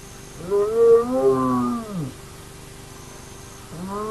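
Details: Hyena at the Naledi clan's active den: one long, arching, groaning call that swells and then drops away, followed by quiet and the start of another call, with a faint steady hum in the background.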